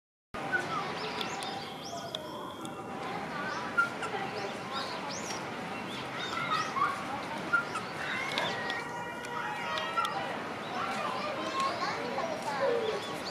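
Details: Ring-tailed lemurs at Ueno Zoo on 23 November 2020 give overlapping mewing and chirping calls against a background of human chatter.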